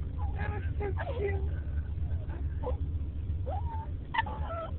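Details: A dog named Casper, upset as the car slows, lets out warbling, slurred yawning howls in short uneven bursts, some sliding upward. Heavy low car-engine drone runs beneath the phone recording.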